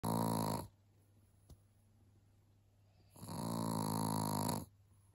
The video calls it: Att något så litet kan snarka så högt 😂😂😂 älskade Lizzie ❤️ chihuahua